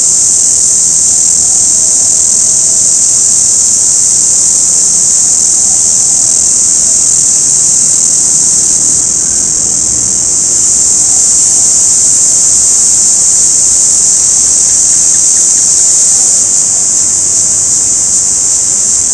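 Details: Orange cicada, a smaller and quieter kind than the forest cicada, giving a steady, unbroken high shrill buzz throughout, with only slight swells in intensity.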